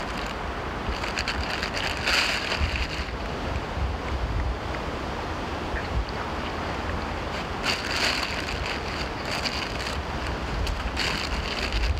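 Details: Roaring wind buffeting the microphone over broad outdoor noise like surf, with no animal voice standing out.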